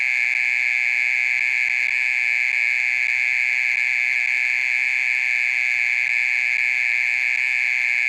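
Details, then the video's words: A mole cricket trilling late at night, keeping up its call for more than half an hour: a constant shrill, ringing buzz without pauses or changes in pitch over eight seconds. "オケラの鳴き声 30分以上鳴いてる"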